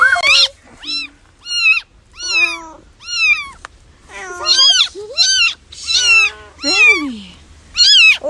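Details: Cat in a funny kittens compilation meowing insistently, about nine loud, bright, harmonic meows spaced roughly a second apart, several rising then falling, one ending in a downward slide; faint background hum.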